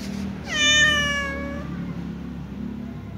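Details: Little ginger cat meowing, apparently talking to its mother: one clear drawn-out meow with a rich stack of harmonics, rising briefly then falling and fading over about a second, over a low steady background hum.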